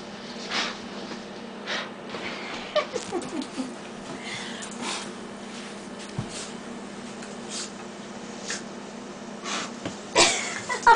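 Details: A female Basenji snorts, sniffs and gives brief wheezy, squeaky whines indoors as air is blown on her, with a steady background hum.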